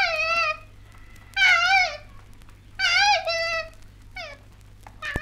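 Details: Calls of a female koala recorded in Australia in 1968. Loud, whiny, cat-like wails bend up and down in pitch, some long and some clipped short, with brief silent gaps between and a low hum beneath.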